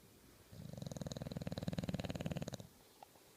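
An English Bulldog snores with a low, fluttering rasp. It swells over about two seconds, then fades, with a quiet room around it.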